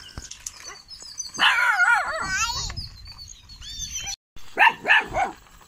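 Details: Kanni and Chippiparai puppies, 81 days old, at a dog shelter in Thiruvarur, showing guarding ability; high wavering yelps and short barks in bursts, with a brief gap and scattered background noises.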